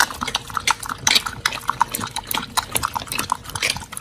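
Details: Chomping pit bulls Oli and Nommy on a raw diet of giant white snapper: rapid moist smacks and crisp crunches come in a busy, uneven rhythm, with occasional clinks.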